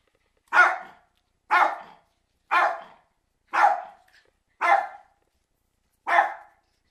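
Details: Cairn Terriers bark as a storm comes on: six loud, rough barks in a steady run, roughly one per second, each short and clipped, with no other sounds.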